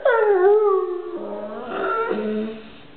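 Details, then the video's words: Pet dog with a toy letting out a single long howl that dips and levels off, then shifts to a lower, steadier tone before fading. "howling dog i love my toy or do i"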